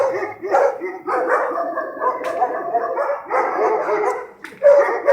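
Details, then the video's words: Pack of stray dogs barking at night on the streets of Sarajevo, archival recording: many overlapping harsh barks and yips in dense bursts, a short lull near the end before another loud burst. "Noćni čopor: Lavež pasa lutalica"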